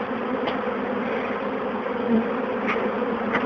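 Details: Over 20,000 honey bees being moved from a bird box into a new hive box fill the air with a continuous, even, loud wingbeat drone, with a few brief clicks and taps standing out.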